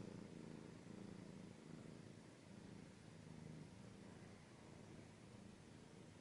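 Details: Domestic cat purring steadily, a low continuous rumble with gently pulsing rhythm throughout, close and intimate in an ASMR style recording.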